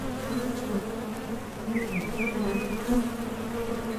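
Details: Steady humming of honey bees around the entrance of a top bar hive as they leave for and return from nectar foraging, a thick low drone with a short bird chirp series in the middle.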